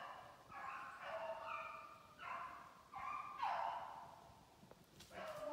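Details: Several beagles in Maine give mournful, overlapping bays on the trail of a snowshoe hare during conditioning work on 14 July 2019. Long, wavering, harmonic howls surge and fall in irregular bursts over steady outdoor background noise.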